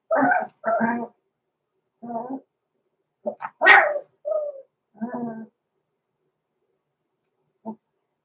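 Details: Blenheim Cavalier King Charles Spaniel puppies, six weeks old, named Roman and Blue, in a home puppy pen: a few hoarse little barks and yelps in irregular clusters, one sharp high squeal, then a lone short yip after a pause.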